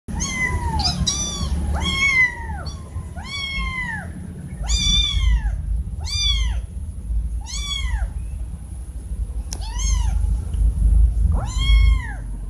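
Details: Two kittens meow very loudly, calling to their mother: a rapid series of arched, harmonic-rich meows rising then falling, about nine calls in twelve seconds, over steady low rumbling background noise.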